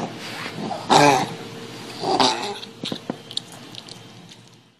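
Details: Dog with tracheal collapse giving the characteristic goose-like honking cough, typical during exercise, drinking or excitement: two harsh, hoarse honks about a second apart, then a few short clicks and softer breaths fading out indoors.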